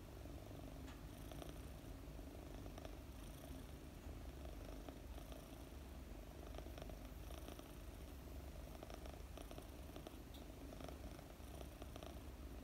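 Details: A 4-month-old female British Longhair kitten, sleeping in the afternoon while being petted, purrs in a steady, low, rumbling drone.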